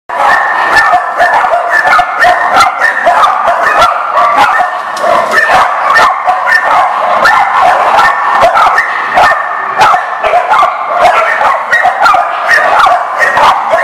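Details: Many dogs at a dog lot on 19 November 2018 bark loudly and without pause, sharp overlapping barks and yips piling into a dense, constant chorus.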